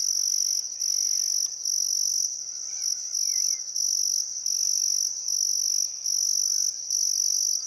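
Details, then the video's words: Chirping crickets along the Barcoo River at Welford National Park, Outback Queensland, on a calm summer afternoon at sunset; piercing high pulses recur about once a second, a few faint bird notes drifting beneath. "Australian Sunset Chirping Crickets"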